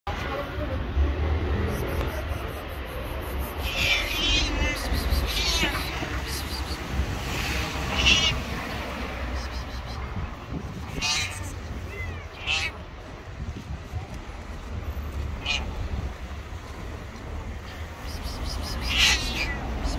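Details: Hungry white stray cat living on the street, hugging feet while meowing loudly for food; several drawn-out, wavering meows spaced a few seconds apart over a steady low rumble of traffic and wind.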